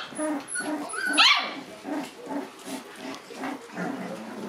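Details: August-born Shiba Inu puppies exploring a room for the first time whimper in short, rhythmic bursts, roughly three per second. A sharp, rising high squeal breaks through just past the first second, then the even yelping resumes.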